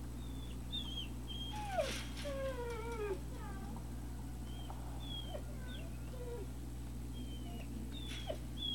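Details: Thin, whistled whimpers from Great Dane puppies at Puppy Hill, recorded 3 May 2019: several descending glides and short squeaks scattered throughout, a few soft bumps, and a constant low hum underneath.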